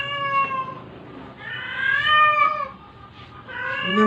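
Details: Sick stray cat being force-fed, meowing in drawn-out, wavering cries: one near the start, a longer rising-and-falling meow around the middle, and a sharp rising meow at the end, with quiet room noise between.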